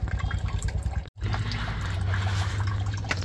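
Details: Water pours and splashes steadily into a bath, with a low rumbling hum and a brief break in sound; no animal voice is heard.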